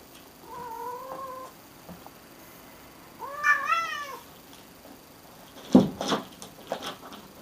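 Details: Domestic cat meowing indoors: a soft, steady meow followed by a louder, rising-then-falling meow with rich harmonics, then a burst of knocks and shuffling thumps in a small room.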